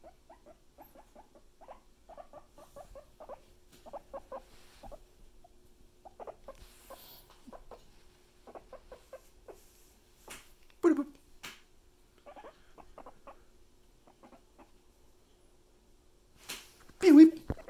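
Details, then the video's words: Pet guinea pig giving bursts of short, repeated squeaks with longer gaps between them. Two louder rustling thumps stand out, one midway and one at the end. "Boop! The Squeaky Piggy"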